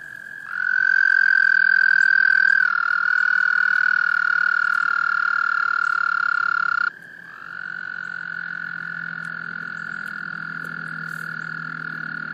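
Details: Male American toads calling during breeding in a small pond, Laurens County, South Carolina, USA, March 2014: a loud ringing trill rich in overtones dips slightly in pitch, breaks off abruptly, then a second toad's trill continues.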